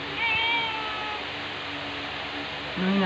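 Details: Angel, a rescue mother cat, meows at her two-year-old daughter Pepper, telling her to stop licking her, filmed 2 February 2021 on an OPPO A5s; a short falling mew with bright overtones over steady hiss, a brief low voice at the end.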